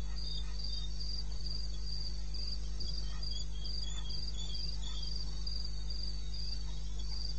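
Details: Wild cricket in eastern Botswana, recorded at night at 02:30 AM on 21 May 16. Rapid high pulses run steadily, about three per second, joined by a softer lower trill, all over a steady low rumble.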